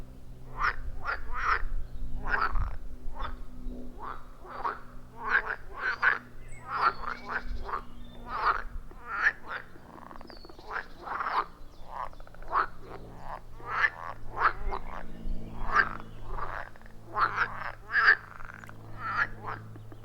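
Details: A chorus of frogs around a wild pond deep in the forest, recorded with an iPhone 14 Pro and Shure MV88+, delivers many short, sharp croaks repeated rapidly, roughly two or three per second, over a constant low rumbling drone.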